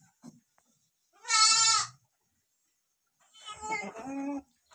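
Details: Mother goat licks her two newborn kids; two tremulous bleats, the first loud and bright, the second lower and rougher, separated by a short silence.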